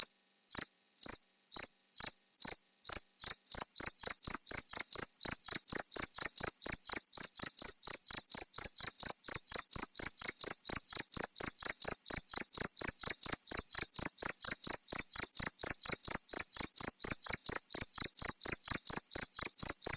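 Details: A few widely spaced shrill cricket chirps open, then run into a long, fast, regular stream of high clicking pulses that continues unbroken to the end.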